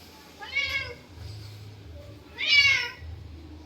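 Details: Pet cat meowing at a snake in a garden: two loud, drawn-out meows with rising then falling pitch, about two seconds apart, over a low background hum.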